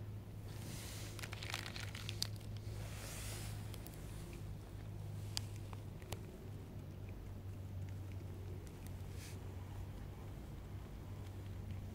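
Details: A quiet indoor room with a steady low hum and scattered rustling, crinkling and soft clicks, with no animal sound.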